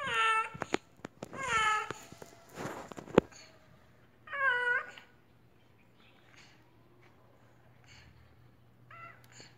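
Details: An apparently sick domestic cat making strange noises lets out a run of harmonic meows in quick succession, each rising then falling, with sharp clicks and handling noises between them and quieter calls toward the end.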